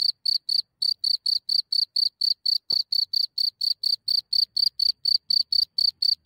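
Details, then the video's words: A cricket leaving its hole at night, recorded very close in Germany: steady, piercing high chirps repeated about four times a second throughout, one faint click midway, otherwise quiet surroundings. "Cricket Comes Out of its Hole in the Night"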